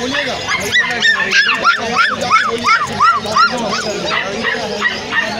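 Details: A Golden Retriever puppy of imported bloodline, offered for sale, gives a rapid run of high, arched yips and whimpers, about three per second, with other puppy voices and background chatter underneath.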